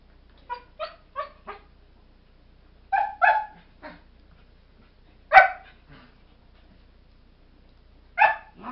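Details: Four-month-old Airedale Terriers Kodiak and Angle in a puppy exchange: a series of light, high yips followed by louder paired barks, one strong single bark, and a final bark after a short gap.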